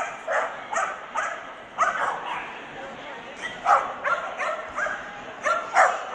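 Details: Barking from the Swedish Vallhund best male ring, Strängnäs international dog show, 15 March 2015. Short, bright yaps come in loose bursts, several in quick succession, over a busy hall of voices.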